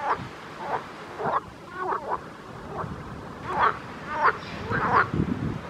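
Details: Frogs calling in a pond: short nasal croaks around the mid range, repeated in loose irregular bursts about every half second to second, several overlapping, over a low background rumble.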